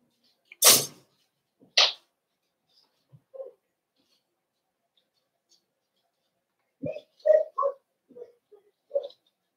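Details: Cavalier King Charles Spaniel puppies in a home puppy pen, meeting several of the household's big dogs for socialization, 12/13/22. Two sharp, noisy bursts open, then a quiet gap, then a cluster of short whiny yelps and squeaks, irregularly spaced.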